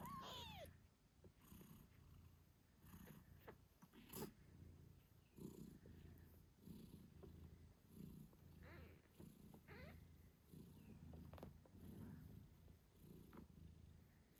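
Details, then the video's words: British Shorthair mother cat purring loudly while caring for her 8-day-old kittens: a rhythmic low rumble in regular pulses. A thin falling kitten squeak opens the clip, with faint clicks and rustles. "Cute Kittens Meowing Yawning Sleeping Cat Mom Purrs Loudly 🥰 8 Days After Birth British Shorthair"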